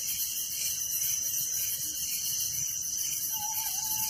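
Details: Village crickets at night keep up a continuous, high, buzzing chorus with a steady ringing tone and throbbing pulses, and a low whistled note begins near the end.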